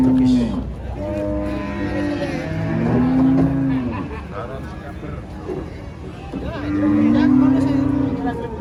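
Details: Huge female cow running wild as she is loaded under a haunted tree, giving three deep moos: a short one at the start, a long wavering bellow midway, another drawn-out one near the end, with faint music and voices behind.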